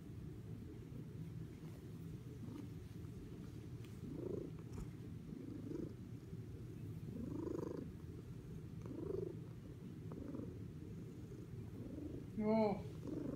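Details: A fluffy female cat purrs steadily while grooming herself. The purr is a continuous low rumble, with soft rhythmic licking noises about every second and a half and a brief high chirp near the end.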